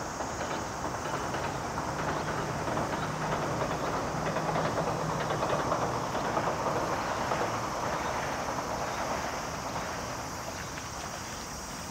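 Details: A steady broadband rumble like a passing train or heavy traffic fills the whole stretch, with no animal voice standing out.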